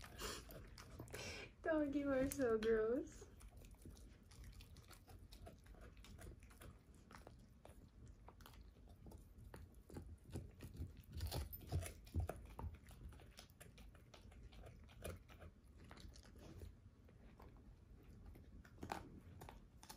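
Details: Ava, a 13-year-old German Shorthaired Pointer, crunches a whole dehydrated turkey wing for breakfast, her first time. A brief human voice opens, then irregular dry bone-cracking and gnawing clicks continue steadily in a small quiet room.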